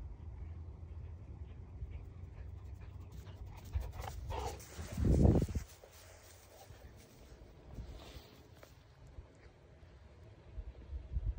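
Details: Golden Retriever at morning ball play, giving a short breathy burst of panting and whimper-like sound near the middle, with quieter broken breaths later and a steady low outdoor rumble throughout.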